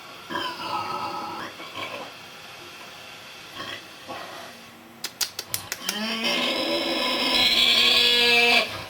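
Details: Sleeping Vietnamese pig snoring: whistling, harmonic breaths that rise and fall. A quick burst of sharp clicks comes midway, followed by a long, louder, wheezing snore that holds steady to the end.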